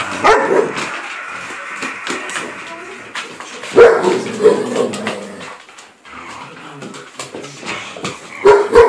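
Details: Two pet dogs, an Alaskan malamute and a springer spaniel, in a rough play fight: rapid irregular barks, yips and growls in bursts, with scuffling and occasional human voices.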